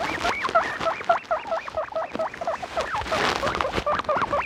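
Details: Domestic guinea pig wheeking loudly, a rapid string of rising, whistle-like squeals repeated about three per second, with some rustling underneath.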